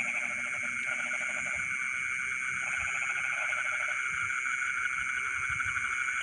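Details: Frogs calling from rice fields at night, several short bursts of fast rattling pulses repeated about once a second, while continuous insect whine fills the background.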